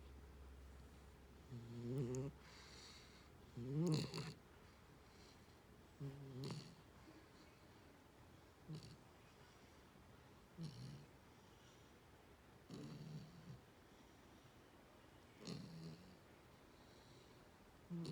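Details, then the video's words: A young female puppy, about four months old, sleeps after play time and softly snores. Quiet, low breathy snore bursts come every two to three seconds against a faint, steady indoor hush. "Snores Away!"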